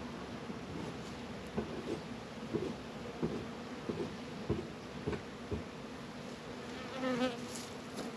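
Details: Apiary honey bees around Warré and Langstroth hives in northern Kentucky, active on a warm 72°F winter day in February; continuous low humming buzz broken by scattered light knocks and taps from hive work.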